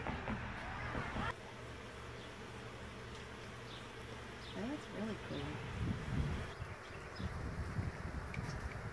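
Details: Bees during a cutout bee removal at Panama City Beach: a dense, steady low hum fills the recording, with people talking and brief knocks and rustles over it.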